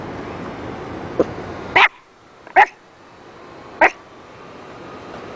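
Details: Dog making odd noises: three short, sharp bark-like yelps spaced about a second apart after a faint first yip, over a steady background hiss.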